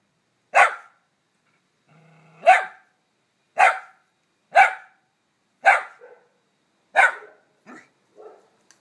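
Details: A 3-year-old miniature poodle barks outdoors at a lizard hidden under a rock, driven by prey drive; six sharp, short barks come roughly once a second, with two softer chuffs at the end.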